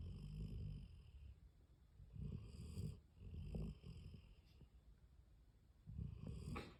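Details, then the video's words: A Weimaraner asleep on a couch snores in slow, rumbling bursts, each breath a low rasp followed by a quiet pause. "30 seconds of Graysie the Weimaraner snoring away on the couch…"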